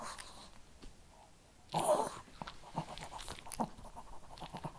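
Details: Shih Tzu eating kibble: a loud crunching burst near the two-second mark, then a run of short dry clicks and crunches at uneven intervals over a quiet background.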